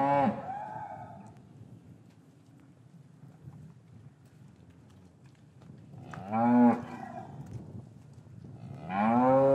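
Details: Cows in a traditional English cattle yard, winter afternoon, calves kept apart from their mothers: three separate moos, at the start, around six seconds and near nine seconds, each rich and harmonic with quiet gaps between.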